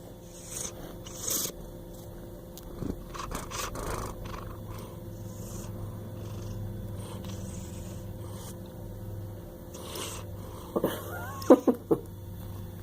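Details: Dyson, a Bengal cat, snoring: a low, steady rumbling drone holds through most of the recording, broken by soft rustles and scrapes, with a few short higher-pitched vocal sounds near the end.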